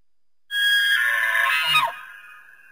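An elk gives a high, whistling squeal that ends in a quick downward slide.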